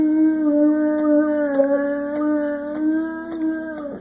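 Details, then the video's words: Six-year-old male Boxer weighing 100 pounds, a dog that loves to sing and howl every chance he gets, holds one long, steady, tuneful howl for about four seconds, wavering slightly in pitch before dropping away at the end. "Boo Boxer Singing"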